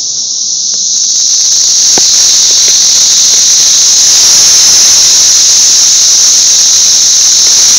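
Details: Thousands of Brood XIX periodical cicadas massed on a six-story wall in Nashville, filmed May 24, 2011, in a deafening chorus: a steady, piercing high-pitched whine that swells in within the first second and holds without a break.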